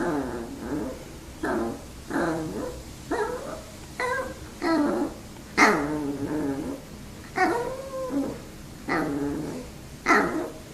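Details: Pet dogs eager for treats give a long run of about a dozen moaning, talk-like whines, each swooping up then sliding down, with short pauses between them and faint growly undertones.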